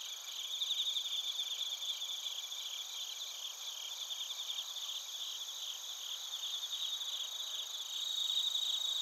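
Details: Bell crickets and other crickets sing together in Narita, Chiba, Japan, recorded with a TASCAM Portacapture X8. Bright overlapping trills form a steady, shimmering wall of sound, gently pulsing about four times a second, with slight swells toward the end.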